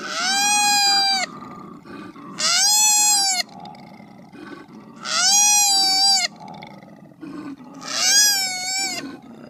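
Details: Koala repeatedly crying out in drawn-out, rasping wails roughly every two to three seconds, four calls in all, with a faint low rumble underneath between them.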